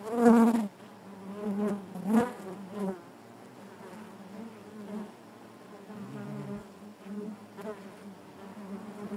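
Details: Natural buzzing of honey bees in the hive: loud close fly-by buzzes open the recording, then the dense low drone of the colony continues more quietly with a few soft swells.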